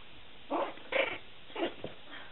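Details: Two-week-old white puppy in a litter indoors giving tiny yappy barks: three short rough yips spaced about half a second apart, then a faint fourth, over quiet room noise.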